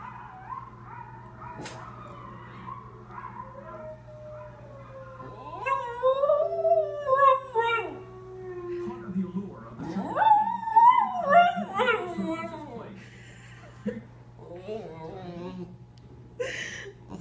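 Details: A male Lhasa Apso howls along with wolves howling on a TV show, giving long sliding wails broken by short yips and whimpers.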